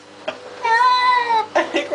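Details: Baxter, a pet cat, cries during a flea bath indoors: one long drawn-out meow, steady then slightly falling, lasting nearly a second, with rich harmonics, followed by people talking.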